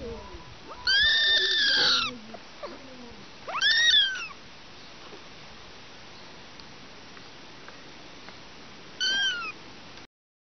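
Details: Kittens at a picnic: three high, arching meows. A long, drawn-out one comes first, then a shorter cry near four seconds and a brief one near nine seconds, with quiet background between.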